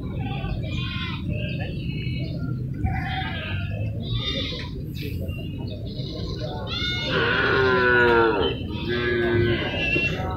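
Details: Cattle at the Grati cattle market in Pasuruan in the morning; a drawn-out harmonic moo rises above loud crowd chatter and market bustle, with shorter lowing calls following and people talking throughout.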